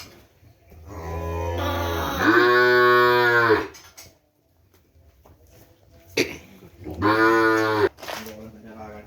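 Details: Kerapan race cattle brought straight from Sapudi Island, with their keeper at a home: two long, drawn-out moos, each about two to three seconds and rising then holding, separated by a quiet pause, with brief talk between.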